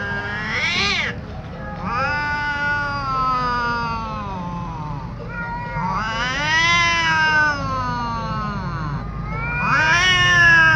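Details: Ginger cat cornered by a tomcat, yowling in long, drawn-out, rich wails that swell and sag in pitch, rising again every few seconds in repeated surges.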